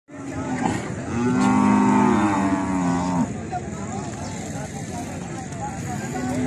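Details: Cattle at mating time, a long low moo with stacked harmonics swelling for about two seconds then cutting off, followed by quieter rumbling background noise and a steady hum.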